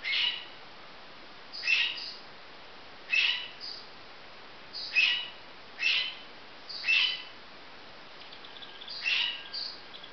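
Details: Marmoset babies giving a run of brief high chirping calls, seven or eight bursts arriving every one to one and a half seconds, some doubled, with faint hiss underneath.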